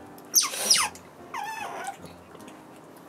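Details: Pet otter Bingo, a timid male, at his first contact with Belle after she is let out of her cage. Two high squealing calls: a sharp, steeply falling squeal, then a lower, wavering, drawn-out cry about a second later.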